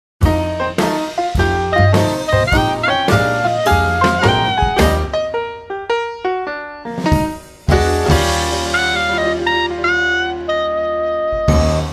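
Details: Swinging jazz with saxophone and other brass over a drum kit plays throughout, with no animal sound heard.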